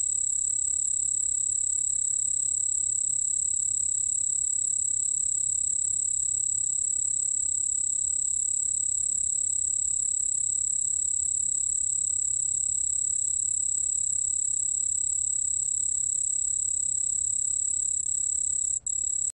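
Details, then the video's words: Steady, piercing, high-pitched ringing from the cricket 흰수염방울벌레, recorded by Korea's National Institute of Biological Resources in 2020. The finely pulsed trill runs unbroken and even, with a brief click near the end. "흰수염방울벌레, 1번 듣기, 곤충소리"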